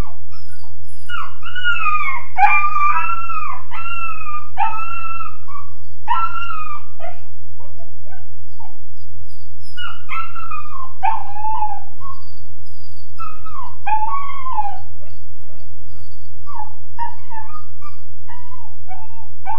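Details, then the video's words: Weimaraner puppy about 13.5 weeks old, alone in its kennel crate indoors, wailing: a long run of high, wavering whines and howls that rise and fall, repeated in bursts, over a steady low electrical hum. "The Wailing Weimaraner"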